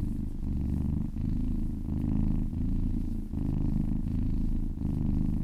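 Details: Happy domestic cat purring while being massaged for relaxation: a continuous low rumbling purr with steady harmonic bands, swelling and easing in alternating inhale-exhale cycles roughly every second or so, no other sounds.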